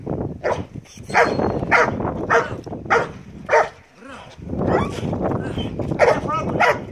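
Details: Belgian Malinois named Marley during bite work training; sharp barks roughly once a second over a noisy background with a man speaking Greek.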